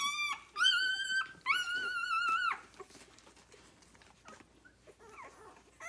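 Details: Six-day-old Rhodesian Ridgeback puppies nursing on their mother, a litter born 9/3/2020: loud, drawn-out whines with steady high tones in two long bursts in the first half, then quieter squeaks and soft suckling noises.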